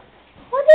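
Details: Malibu, a male pet cat that meows back when talked to at home, gives one short tonal meow that rises and holds steady at the end, following a woman's questioning speech.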